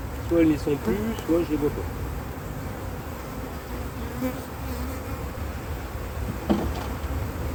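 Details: Honey bee colony, a drone-laying split after failed first matings during a cold spell in 2024: a steady low hive hum fills the whole recording, with a few brief human voice fragments near the start and one sharp knock late on.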